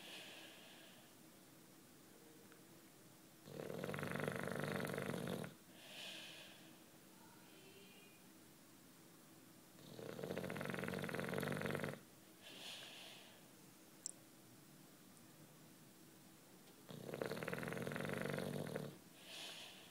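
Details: Juanito, a 9-year-old British Bulldog, snores while sleeping indoors: three long rasping inhalations, each about two seconds, recurring every six to seven seconds, with softer wheezy exhales between them.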